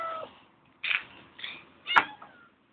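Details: Hungry female cat at a tent in the S.P.N.I. Field Schools camp ground at night, making short pleading meows, three brief cries in quick succession with a sharp click between them.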